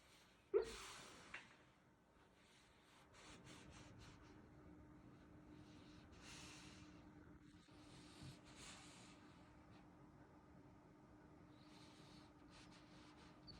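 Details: Simone, a pet dog, dreaming while asleep: soft snorts and sharp breathy gasps come in short bursts between stretches of quiet breathing, with one louder gasp near the start and a low steady hum indoors.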